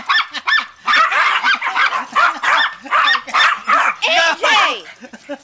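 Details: Family pet dogs competing to get a ball while MJ bothers Precious. Rapid, uneven run of short yipping barks, roughly two or three per second, harmonically rich and high, with excited human talk mixed in.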